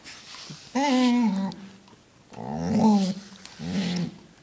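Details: A dog gives drawn-out, throaty, monster-like groans and moans in three separate bouts while being brushed.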